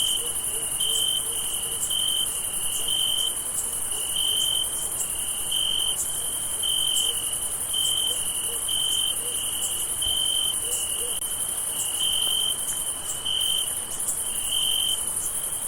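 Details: On a summer night, a chorus of crickets fills the air with high, continuous shimmering trills; one nearer cricket stands out with short bright chirps repeated about once a second.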